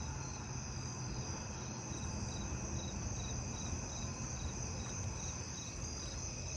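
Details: Fall field cricket (Gryllus pennsylvanicus) song on a neighbourhood night in August: short repeated chirp bursts over a steady insect chorus and low rumble.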